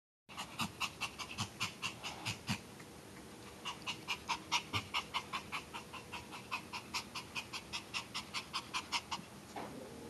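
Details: Pomeranian dog panting in quick, steady rhythmic breaths, each a short breathy huff, continuing for most of the recording with a brief pause after about two and a half seconds.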